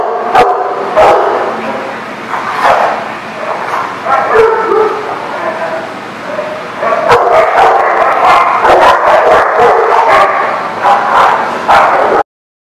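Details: Many dogs bark and yip at once in a kennel-like setting, a continuous noisy chorus of overlapping barks with sharp clicks and bangs throughout, ending abruptly.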